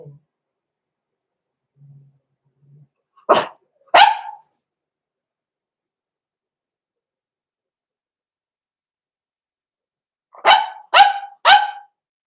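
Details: Blenheim Cavalier King Charles Spaniel puppies, six weeks old, Roman and Blue, in their home pen: faint low murmurs, then two sharp barks, a long silence, and a quick run of three crisp barks about half a second apart.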